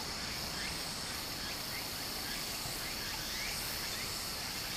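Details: Cicadas in summer near a small stream in Japan, their high, even buzzing band sounding more muted here beneath a broad wash of water noise, with faint short chirps scattered through.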